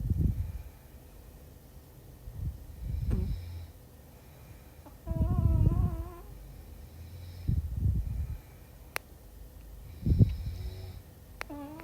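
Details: Puppy snoring while asleep: low rumbling breaths in irregular bursts every two to three seconds, with a short whining squeak near the middle and faint clicks.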